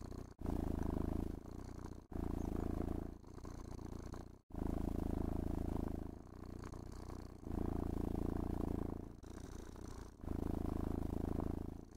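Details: Domestic cat purring with contentment while being brushed, groomed and petted indoors; a low rumbling purr in alternating louder inhale and softer exhale phases, each lasting about one to two seconds, with brief gaps between breaths.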